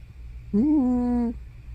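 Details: Hana, an elderly pet cat over fifteen, sleeping indoors at home: one drawn-out voiced moan lasting under a second, steady and harmonic with a slight wobble near its start, set against a quiet low room hum.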